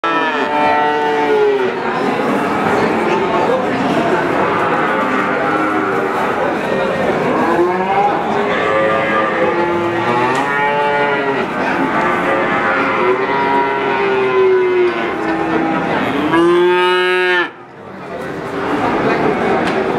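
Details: Calf mooing continuously: many overlapping drawn-out bleating moos with strong harmonics, some rising then falling, one loud clear moo near the end followed by a brief pause.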